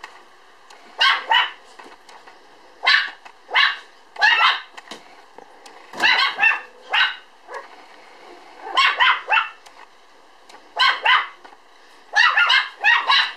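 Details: Young Standard Poodle, a puppy born on 1 July, 3.8 kg, filmed 5 September, giving bright high-pitched yips, mostly in pairs, repeated every second or two with short quiet gaps between.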